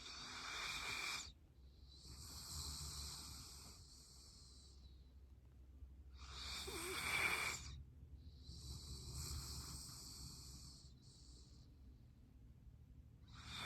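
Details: Sleeping Golden Retriever snoring at home, producing drawn-out wheezy, hissing breaths with a faint whistle, alternating inhale and exhale about every two to three seconds over a steady low hum.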